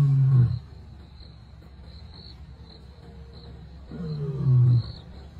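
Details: Two Kambula male lions, great-grandsons of the Mapogo coalition, roar in deep, rumbling bursts separated by a few seconds of quiet, 20 December 2023.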